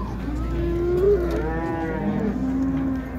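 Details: Calves described as quality calves at the Şarkışla livestock market in Turkey, with female Simmental cattle from Kastamonu on sale; a drawn-out tonal moo rising and falling over about three seconds, over low market rumble.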